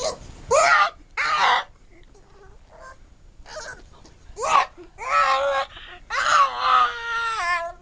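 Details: Pug named Spice making weird noises indoors: loud, drawn-out whining cries with clear tonal bands, some rising then falling. They come in separate bursts, with quieter gaps and faint grumbles between them.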